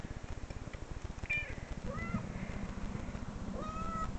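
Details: Played-back cat meows from internet videos that made a dog growl and look around; several short, thin meows, some rising and some sliding down, are heard faintly over a rhythmic low rumble.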